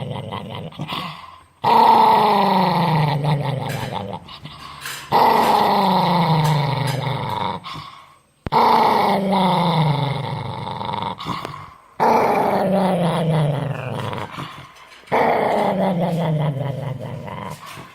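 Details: An angry dog makes drawn-out, gravelly growl-barks, each starting loud and sliding downward before trailing off, five in a steady series separated by short pauses, in a small indoor space.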